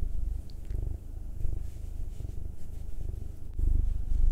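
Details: Pet cats purring during a massage, either Will the nine-year-old black male or Anzu the two-year-old female Munchkin; softer, close low rumble in rhythmic breathing pulses, slightly louder toward the end.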